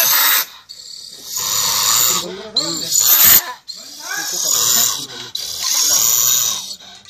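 A honey badger gives harsh, breathy hisses and rasping growls in bursts of about a second.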